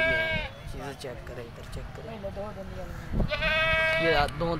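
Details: Nagri goat bleating: short wavering bleats early on, then a longer quavering, nasal bleat with trembling pitch, mixed with overlapping human voices throughout.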